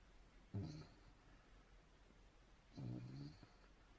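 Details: German Shepherd puppy snoring: two soft, low, rattling snores roughly two seconds apart, each lasting about half a second to a second, with a faint whistly overtone and a quiet room between.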